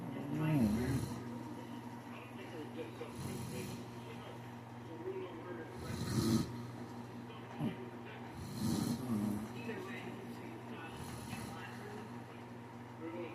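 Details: Shih Tzu asleep and snoring: rough, breathy snorts come about every two and a half seconds, each a short noisy rasp, separated by quiet stretches over a steady low electrical hum.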